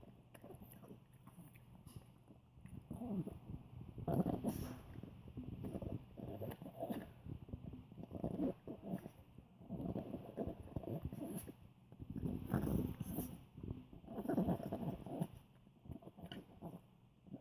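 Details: An old Poodle makes deep, pig-like grunting, snuffling noises while eating something tasty, in uneven bursts of a second or two, rough throaty grunts rising and falling in loudness with short pauses.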